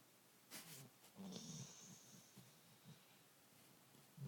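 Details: Joony, a pet dog, snoring softly while asleep: low, quiet rumbling breaths with brief breathy hiss bursts near the start and a steady faint background hiss throughout.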